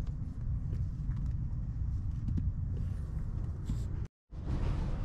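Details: A steady low rumble like a nearby engine, with a few faint knocks and a brief dropout near the end, and no animal voices.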